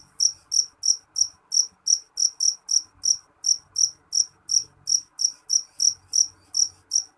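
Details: A jeliteng cricket calls shrilly and without a break, bright high chirps repeating at an even pace of about three per second throughout.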